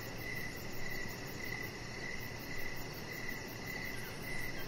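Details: Evening crickets outside near a deck, giving bright, regular chirps roughly every half second. A thin rapid high-pitched pulsing runs alongside, over a steady low rumbling hiss.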